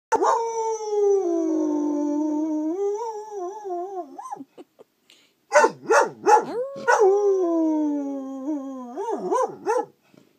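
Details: Angus the dog in a good howl session: a long loud wavering howl lasting about four seconds, then after a brief pause a run of sharp yelping barks sliding into another drawn-out howl with quick rising yips at the end.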